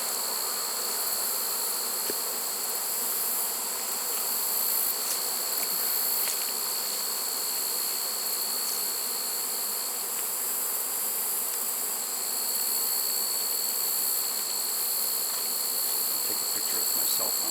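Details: Late-season honey bee swarm in a trap, early September 2019: continuous, even buzzing drone holding steady throughout, a sustained high thin tone layered over it, faint occasional ticks.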